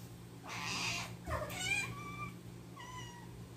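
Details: Domestic cat from a home with ten rescued cats, meowing indoors: a breathy burst, then two or three clear, harmonic-rich meows, each sliding slightly, about one second apart, over a steady low electrical hum.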